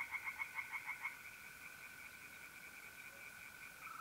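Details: Night in mid-April at a pond in North-East Italy: a brief burst of about eight quick, rasping tree frog croaks at the start, then only the continuous whirring trill of mole crickets.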